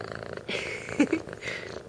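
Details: Purring from Ratchet, a kitten about three months old adopted from the Austin Humane Society, a rough low vibration with short stronger bursts, as someone repeatedly calls his name nearby.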